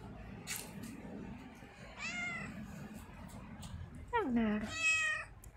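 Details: Domestic cat meowing indoors: a brief faint meow, then a louder drawn-out call that starts low and rises into a bright, high-pitched meow near the end.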